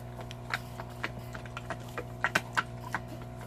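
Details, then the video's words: A large Belgian Malinois gnawing on a cow bone indoors: sharp crunching clicks and cracks arrive irregularly, a few louder snaps near the end, over a steady low electrical hum. "a cow eating belgian malinois"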